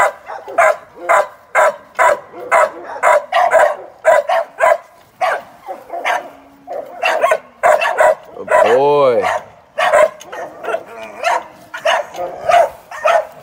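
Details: Young American Staffordshire Terrier in training as a sporting dog ahead of ADBA shows and sporting events, barking in rapid, uneven bursts, nearly two per second, with a short stretch of a man's voice near the middle.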